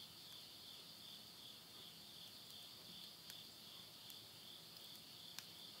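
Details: Insect chorus at midnight, end of summer, Yurihama in Tottori, Japan, September 2020: a constant high shrill trill pulsing rapidly, accompanied by scattered sharp cracks and pops from wood burning in a stove.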